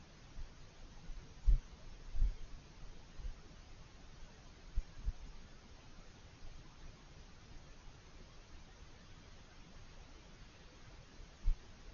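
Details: Low rumbling outdoor background noise with a few soft thumps and no animal calls heard.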